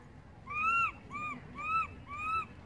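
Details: Baby monkey calling loudly for its mother, who has gone far away; four clear arched, tonal wails with rising-then-falling pitch, each about half a second, repeated in quick succession over low background rumble.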